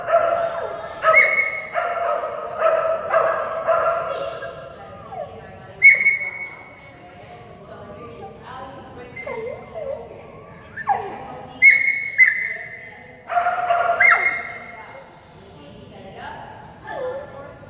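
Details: During agility class on 11/12/2019, Phenix the female Kerry Blue Terrier, working with a toy reward on contacts, gives a string of sharp, ringing barks and yips in irregular bursts, some with short whining slides, between quieter pauses.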